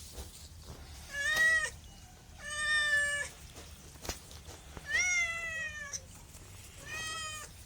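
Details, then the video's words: Four separate meows from a pet cat, each under a second, clear and tonal with a gently falling end, quiet gaps between them. "MEOWING MEOWING - CAT CUTES - CAT FUNNY - SOUND CAT - MEOW CAT 01"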